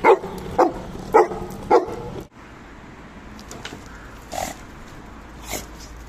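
A Labrador Retriever gives four quick, sharp barks about half a second apart, then falls quiet.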